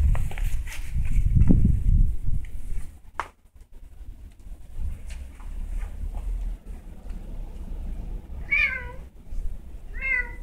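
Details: Cat stuck inside and confused: low rumbling and thumping noise fills the first half, then two short wavering meows come near the end, about a second and a half apart.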